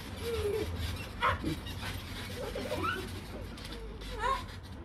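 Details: A Rottweiler on a trampoline gives short, high whines and yips that slide up and down in pitch.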